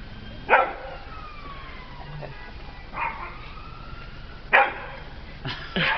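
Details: Pet dog Peppie, afraid of a small cat, lets out single sharp barks every couple of seconds, ending in a doubled bark.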